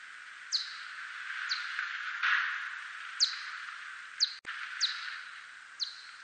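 A steppe whiskered bat gives brief, sharply downward-sweeping chirps about once a second over a steady hiss.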